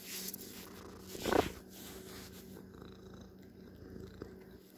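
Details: Pet cat purring indoors, a soft, faint, continuous low rumble with a brief rustling bump near the start and a steady electrical hum underneath.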